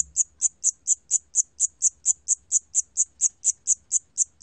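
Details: Siamese cricket, from the 2020 National Institute of Biological Resources collection in Korea, gives sharp high-pitched chirps repeated at an even pace of roughly four a second against a quiet background.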